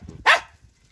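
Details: Stray street dog fed bread, giving a single short sharp bark-like yelp.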